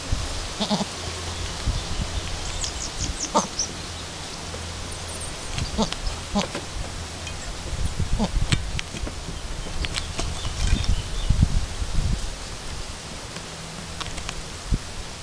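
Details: Chamois-coloured Alpine goat named Chiara at her first kidding, with her newborn kid two hours after birth, both still learning to nurse; short bleats break through a steady low hum, with scattered clicks and rustling.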